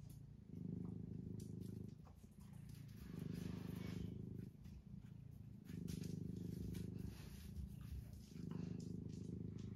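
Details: Domestic cat purring on a farm in County Kilkenny, Ireland: a deep, low rumbling purr that swells and fades in long phases about every two to three seconds, with faint crackling and rustling above it.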